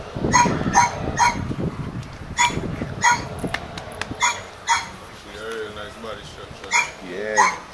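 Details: Two Doberman Pinschers kept at Madness Kennels, Arnos Vale, St. Vincent and the Grenadines, bark in loud, clipped repeated woofs. Bursts come about every half second at first and later grow spaced out, with human voices mixed in.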